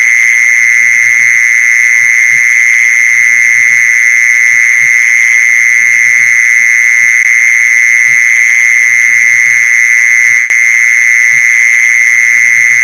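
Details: Lure call of the mole cricket: a continuous, loud, tonal churring trill at a fixed high pitch running the whole length, with quiet low thuds recurring beneath it and a single sharp click near the end.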